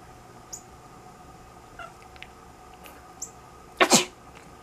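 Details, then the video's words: Sleeping pet cat giving its quack-like response to its owner coughing or sneezing, a habit of years: one short, harsh, noisy double burst near the end, with faint small clicks and a steady low indoor hum before it. "Sleeping cat quacks when his owner coughs/sneezes"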